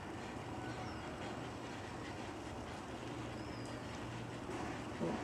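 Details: Steady broadband hiss and rumble with a low constant hum, and no animal voice clearly heard.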